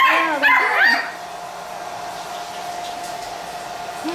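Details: Playful Pit Bull puppies give a quick cluster of short, high yips and whimpers in the first second, followed by near quiet with a faint steady hum in the room.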